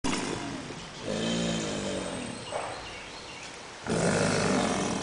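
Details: A group of subadult American alligators at St. Augustine Alligator Farm Zoological Park bellow in a chorus of deep, rumbling roars that rise and fade in long bursts.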